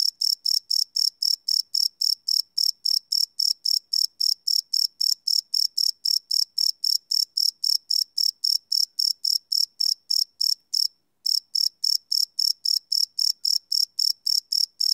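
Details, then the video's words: Crickets calling at night, field-recorded live on a Sony PCM D100 without loops; rapid high chirps pulse about four times each second, with a brief pause near eleven seconds before the rhythm resumes. "Cricket Chirp Sound - Cricket Sounds at Night"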